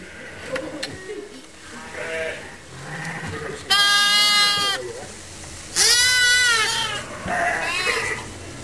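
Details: Lambs without mothers, held together in a pet lamb pen for regular feeding and care. Two strong wavering bleats stand out near 4 and 6 seconds, and fainter bleats from other lambs come before and after them.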